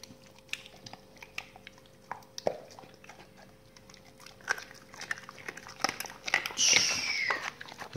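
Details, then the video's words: Dogs eating raw meaty salmon bones and raw chicken carcasses indoors. Irregular crunching and snapping bites build up, ending in a louder burst of crunching mixed with a high squeaky whine-like sound. "dogs eat raw meaty bone salmon and raw chicken carcasses [ASMR] 動物の咀嚼音"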